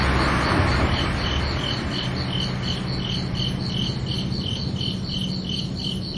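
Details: Night crickets on a summer evening giving rapid, regular high chirps, accompanied by a loud broad rushing noise at the start and a steady low hum throughout.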